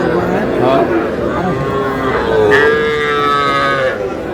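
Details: At a cattle market in Comilla, Bangladesh, on 12 May, young bull and heifer calves low. A drawn-out, slightly rising moo stands out amid people talking and haggling.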